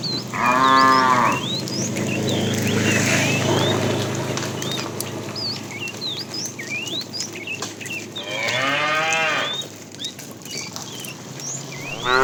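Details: Afternoon herding of tame cows; a fat cow calls the female with a short moo at the start and another near nine seconds, plus the onset of a third at the end, amid busy bird chirps and background rustle.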